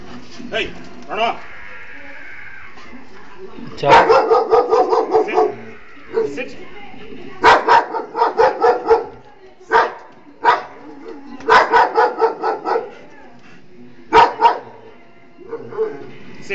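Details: Dog in Miryalguda barking in repeated bursts of three to six quick barks, with short pauses between the bursts and human speech in the background.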